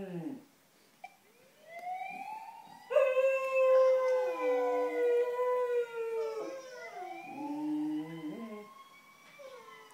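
Cocker Spaniels howl together in long, wavering tones, joining in with a passing ambulance siren.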